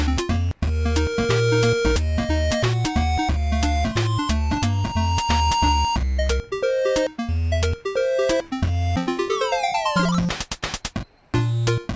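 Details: Busy synthesizer music with bouncing game-like tones and a rising sweep near the end, with no animal voice heard.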